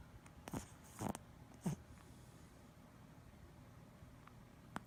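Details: A sleeping Boston Terrier snores in three low, rough snorts, then breathes quietly; he also twitches in his sleep.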